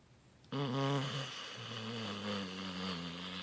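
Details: A Beagle-Bloodhound mix dog napping snores with a low, droning, buzzy rumble that swells in suddenly and holds steady.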